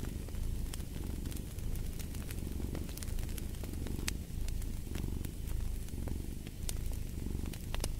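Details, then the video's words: Steady cat purr, a deep rumbling drone swelling and easing with each breath about once a second, accompanied by crackling, popping fireplace flames. "Fall asleep to the Purring of a Cat"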